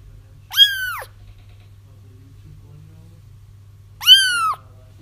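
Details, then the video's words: Kittens crying, used to draw a feral mother into a trap: two loud, bright mews about three seconds apart, each rising then falling in pitch, with a faint low hum underneath. "30 minutes of Kittens Crying"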